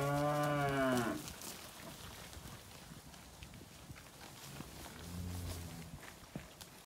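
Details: Angus weaner cattle at a March 2021 sale in Casino: one loud, steady harmonic moo lasting about a second, then background clatter and a faint, lower moo later on.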